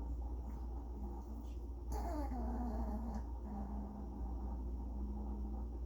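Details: Pomeranian named Hud making strange sounds: a short, sliding whine that drops in pitch and wavers midway, set against a constant low hum and faint steady tones.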